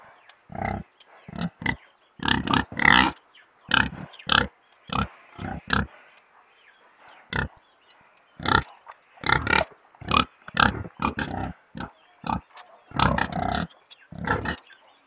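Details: Pig grunting in short, separate bursts spaced roughly half a second to a second apart, each a brief broadband snort, with a faint higher murmur in the gaps between them.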